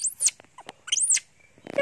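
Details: Janny, a monkey, cries loudly while hungry for its mother, face covered with a towel. Two high, arching screams sweep up and back down, separated by soft clicks and a short gap, with a burst of scratchy noise at the end.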